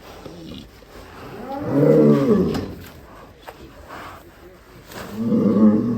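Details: An enraged cow breaking out of its pen gives two deep, drawn-out, harmonic bellows, the first swelling and fading over about a second, the second shorter, while men talk and shout nearby.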